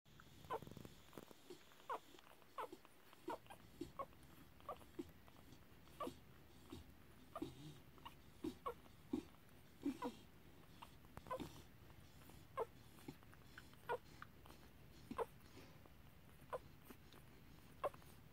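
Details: Five-day-old Tibetan Terrier puppies from the Gold and Brill kennel give short, high squeaks and whimpers, repeated roughly every half second to second in irregular bursts over a soft background hum.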